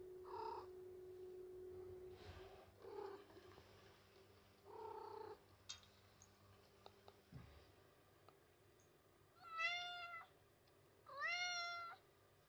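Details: Attention-seeking white cat rubbing against a post indoors: several soft muffled mews early on, a few clicks and rustles, then two clear rising-and-falling meows near the end, over a constant background hum.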